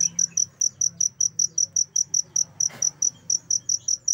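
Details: Cricket recorded to help train songbirds, giving a fast run of sharp high chirps, roughly five per second, evenly spaced, with a brief click midway.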